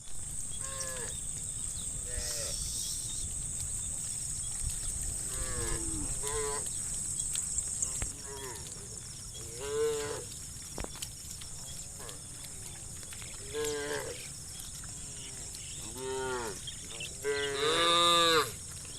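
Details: Dozens of tame cows roaming muddy rice fields toward fresh grass, mooing repeatedly: many short arched harmonic moos from several animals across the herd, with a steady high insect-like hiss in the background.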